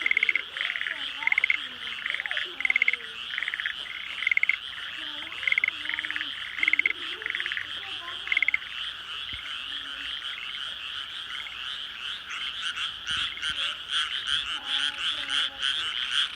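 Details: Night frog chorus over countryside rice fields newly filled with water, homes close by: rhythmic pulsed bursts of trilling for the first half, then a steady, unbroken wall of high croaking with a few lower, gliding notes.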